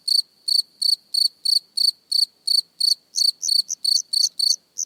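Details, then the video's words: Close-up cricket gives bright, high-pitched pulsed chirps about three per second. The steady rhythm becomes busier near the end as softer extra chirps slip between the main ones, with no other sounds. "Cricket Chirping Close Up"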